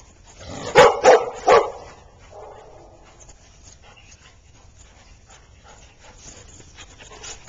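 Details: Golden retriever and husky playing together at daycare, newly introduced and quickly friendly; three loud, sharp barks in quick succession near the start, then quieter rustling and faint background noise.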